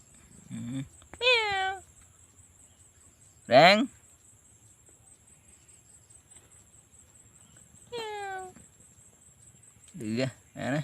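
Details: Kittens, described as stray baby kittens with their mother cat, meowing in loud, drawn-out, descending cries about four times, spaced a few seconds apart, with quiet background hum between calls and a short voice near the start.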